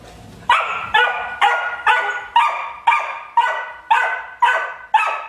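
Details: Ridgeback puppy Juno at 12 weeks demanding a rawhide from Nixie: a regular series of about ten sharp, high yipping barks, roughly two per second.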